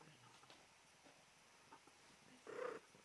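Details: Female domestic cat in heat, striking a 'come hither' pose, gives one short, steady-pitched meow with clear harmonics near the end, after a stretch of faint rustling and quiet indoor background.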